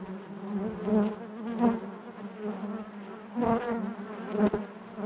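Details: Honey bees buzzing inside their hive: a dense, droning hum with steady low tones, swelling into louder passes around one and three and a half seconds as individual bees fly close by.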